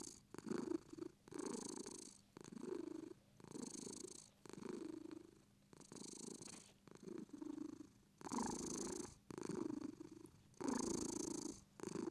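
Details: British Shorthair cat purring, a steady low rumble in long breath-paced bursts of about one second, each rising and fading with short pauses between, roughly fifty cycles a minute, indoors and calm.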